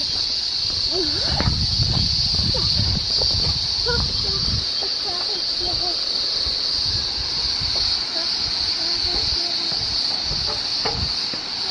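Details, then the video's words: Cicadas along a walking path to the waterfalls, so loud they seem to scream rather than sing. Their shrill, unbroken high buzz dominates throughout, while people talk over the first half and running water is nearby. "D'habitude on dit que les cigales chantent, mais là je peux vous dire elles hurlent à la mort."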